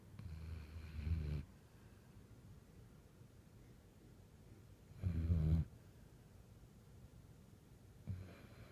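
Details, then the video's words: Sleeping dog snoring indoors: low, rumbling snores in separate bursts, a long one near the start, another around five seconds and a short one at the end, with quiet breathing pauses between. "Snoring Doggy"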